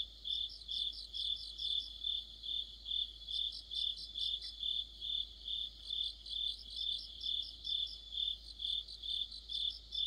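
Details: Crickets sing with other insects in mid-autumn. A piercing chirp beats regularly about twice per second beneath intermittent runs of a rapid, higher rattling trill, with no other sounds standing out.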